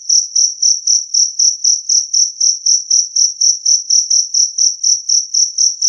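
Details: Two-spotted cricket, a clear and loud recording offered as a way to drive off rats: a high, pure chirp pulsed about four times per second in a steady, even rhythm, with no other sounds.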